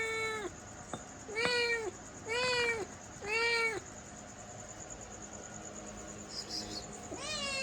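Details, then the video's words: Four quick meows come in a steady run from a domestic cat, then a pause and one more call at the end, with a low background hum. "Cute Cat Sound 😻🐱 | Funny Meow Sounds for Kids"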